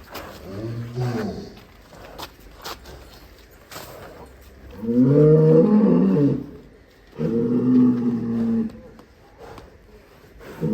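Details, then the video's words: A raging cow getting out of its pen bellows three times, loud low groaning moos each lasting one to two seconds with long gaps, overlapped by men's voices calling out. "SAPI NGAMUK SEREM KELUAR KANDANG"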